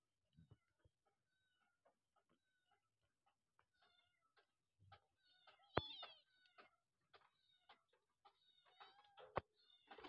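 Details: Abandoned kittens whose mother cat wants to rescue them: a string of thin, high meows and short squeaks at uneven intervals. The calls grow denser toward the end, with one sharp, loud cry near the middle and soft knocks between calls.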